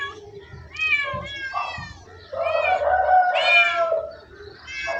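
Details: Domestic cats meowing in a quick series of short, harmonic-rich calls, some rising then falling, with a longer drawn-out meow near the middle; faint human voices in the background.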